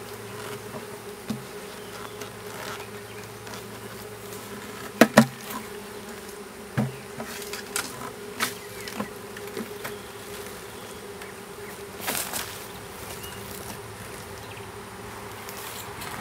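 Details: Honey bees of a small swarm being hived in a privet hedge thicket, south Alabama, 12 April 2014: a continuous low drone holds steady while sharp knocks and rustling handling noises break in at intervals.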